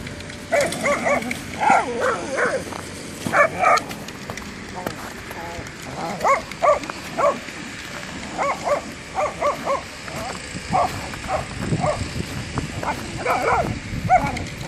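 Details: Whippets at play with a football, barking in clustered bursts of two or three sharp barks spread across the recording, with background rustle and faint voices.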